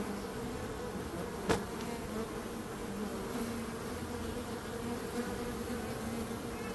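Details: Bees drone steadily at a low pitch, the even hum interrupted by one sharp knock early on.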